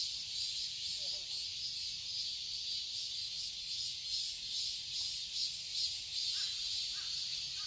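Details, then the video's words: Garden cicadas in Seoul, Korea, buzz loudly and steadily on a summer day, their high drone gently throbbing. A brief faint call shows early on and a few soft notes appear near the end. "Cicadas chirping sounds"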